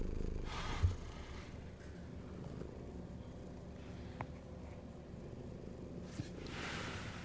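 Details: Hungry domestic cat purring in a low, rough rumble, with a few soft rustles and brief broadband bursts of handling noise around it.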